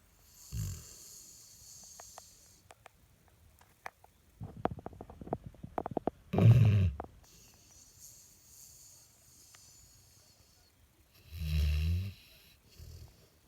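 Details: Labrador Retriever named Dale snoring: three short, deep, rumbling snores spread across the stretch, separated by quiet breathing, with scattered clicks and rustles in the middle.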